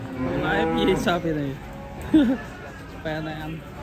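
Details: Raging cattle, agitated and bellowing: a long harmonic moo rising and wavering over about one and a half seconds, then a short sharp bleat and a third steadier lowing call, with faint voices in the background.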